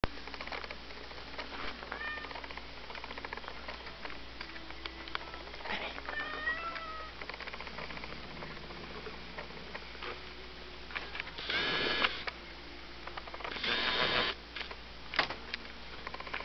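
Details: Two-year-old female Domestic Shorthair cat at an animal shelter, a mother of seven kittens, now up for adoption; a few short, wavering meows in the middle, then loud rustling bursts and steady background hum.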